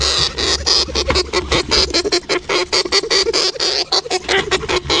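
Rapid, high-pitched squeaks come from a hamster in quick, uneven bursts, several each second. Soft rustling and scratching fill the gaps between the calls.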